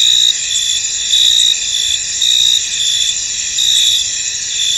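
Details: Crickets chirping in a foggy field, a continuous high shimmering chorus with louder pulses of chirping recurring about once a second, layered over a steady insect drone.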